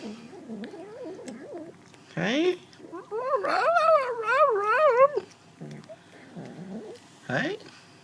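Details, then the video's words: Kitten making odd, warbling vocal sounds while eating, likened to dubstep: wavering, wobbling tones in rapid undulating bursts with short gaps between, with faint background speech. "Cat makes funny sounds while eating"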